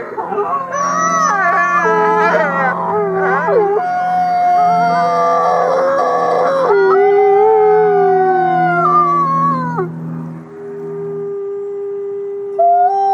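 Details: Wolves in a group howl. Wavering, sliding howls overlap from several animals, with one long, descending howl standing out. A steady low hum sits underneath, and the sound ends with a single held note.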